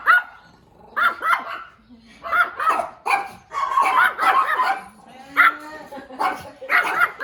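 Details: Small puppy giving sharp, high yaps, singly and in pairs about every second or two, with gaps of quiet between bursts and faint voices possibly underneath.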